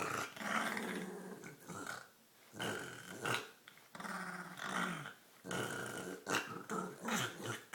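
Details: Playing with her green toy, the female dog Olive keeps up a run of gurgling growls broken by short pauses and snorts; rumbling, uneven bursts follow one another for several seconds.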